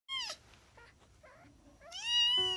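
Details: Fluffy kittens only 13 days old, eyes not yet fully open, indoors: a high, harmonic mew at the start, soft faint chirps in the middle, then a longer, louder rising mew near the end.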